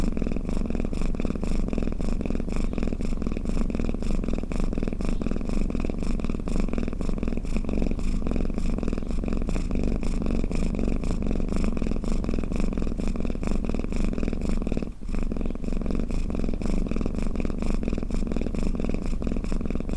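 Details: Cat snoring at length, a constant deep rumbling purr with fast rhythmic breath pulses, one brief dip near the middle, no other sounds.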